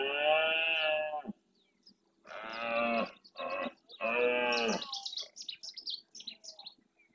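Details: At dawn in the Doñana marshes of Andalusia, Spain, a breeding red deer stag with his herd of hinds and young roars forcefully in the rut; three deep, raspy bellows, the middle one broken, followed by faint bird calls.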